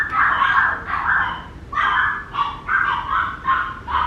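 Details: A Papillon puppy yelps in high, slightly whiny yips, roughly one every half second, with a brief gap partway through.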